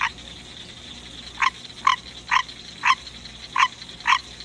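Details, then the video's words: Green tree frog kept as a pet, a male calling at midnight: after a second of quiet, six clipped nasal croaks follow about every half second, evenly spaced, over a low electrical hum. "Green Tree Frog Song"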